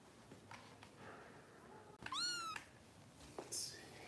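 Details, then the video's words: Kittens of a Los Angeles foster rescue during bottle feeding: one loud bright meow, rising then sliding down, preceded by faint murmurs and followed by a brief high squeak and soft room noise. "Harper Bottle Feeding"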